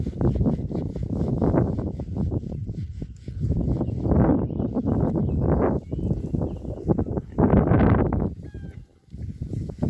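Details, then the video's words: Several Berkshire pigs enjoying a new paddock, grunting steadily in low rough bursts, with a few higher squealing grunts rising above the rest. "Berkshire Pigs enjoying their new paddock"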